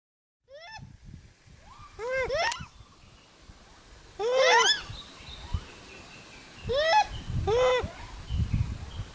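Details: Wild Japanese macaques, one answering another's calls: a series of clear, tonal coos, each arching up then down, in spaced bursts, some overlapping in quick pairs, with rustling and low outdoor noise underneath.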